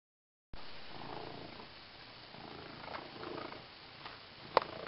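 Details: Female domestic cat purring indoors while trying out a new green fish toy; soft, steady low rumbling purr starting after a brief silence, with a sharp click near the end.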